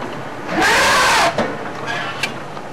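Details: A baby African elephant at sunset, near a vehicle, lets out one brassy, blaring trumpet under a second long, a purely playful, exuberant call with no alarm as mother keeps feeding; then quiet with a faint click.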